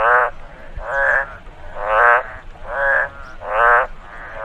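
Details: After rainfall in a rice field, a frog gives nasal, buzzy croaks, each about a third of a second, repeated roughly every second.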